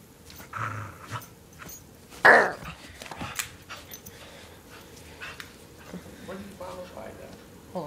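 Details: Lewis, a pet dog, playing tug of war indoors: short low rumbling growls and a sudden loud burst, mixed with a person talking and handling noise in a small room.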